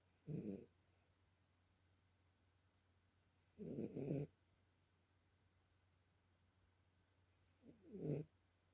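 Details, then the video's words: Sleeping dog giving three raspy snores, the middle one longer and doubled, separated by roughly three to four seconds of near silence with a low constant hum underneath. "Cute Dog snores / Милая собачка храпит"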